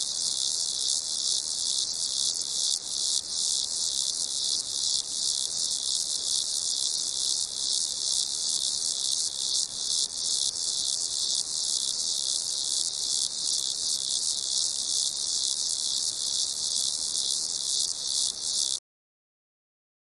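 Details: Chorus of crickets: shrill, continuous chirping layered into one bright ringing drone with slight rhythmic flutter, steady in loudness, then cutting off abruptly to silence just before the end.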